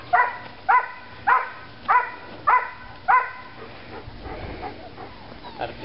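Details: Old English Sheepdog puppies yipping in short, rising, whining cries, six evenly spaced calls about once every half second, then a softer stretch with faint rustling.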